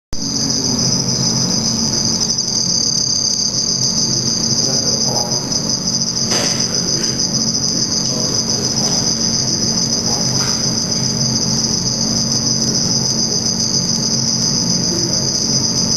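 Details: Black field cricket (Teleogryllus oceanicus) filmed under red light during mating and aggression between males: a steady, shrill high-pitched trill holds without pause throughout, over a low electrical hum and scattered faint knocks.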